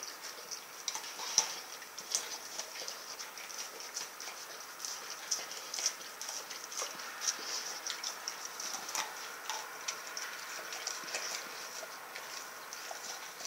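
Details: A female Rottweiler eats a whole turkey, chewing noisily with sharp crunches and wet clicks in an uneven run.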